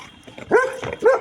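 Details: Labrador Retriever barking: two short, clear barks with a yelping rise, the second a little after one second, with a quieter muffled sound between them.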